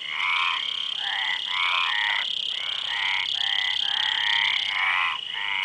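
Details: Frogs croaking in a dense chorus: rasping, pulsed croaks roughly half a second long, repeated almost without pause, with a brief gap midway, over a steady high-pitched drone.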